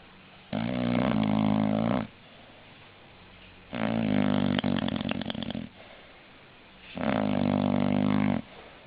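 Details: English Bulldog snoring in three loud bursts roughly every three seconds, each a deep droning snore; the middle one turns raspy and sputtering toward its end, with soft breathing between.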